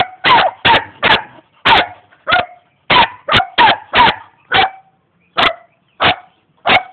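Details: A young German Shepherd in Jamaica, ready to attack, barks in quick clusters of two or three, then single barks spaced more widely toward the end, some ending in a slightly whining tone.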